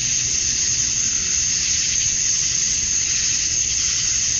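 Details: Chorus of male cicadas chirping to attract females at dusk on a summer night in Georgia, USA: a dense, unbroken high-pitched hiss that holds steady throughout, with no other clear sounds.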